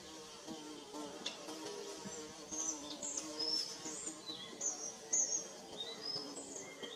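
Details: Bees building a nest give a continuous low hum with stacked overtones, rising and falling slightly in loudness; several sharp high bird chirps punctuate the background.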